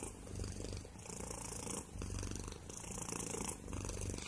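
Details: Purring house cat, deep continuous rumble rising and falling in even breath cycles roughly every two seconds, recorded up close with little else audible.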